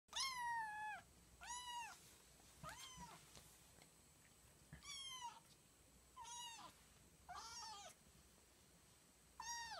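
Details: Jjing, a female kitten on her second day in a new home, wanting to play: six high, arching meows, each rising then falling with bright harmonics, spaced about every one to two seconds in a quiet indoor room.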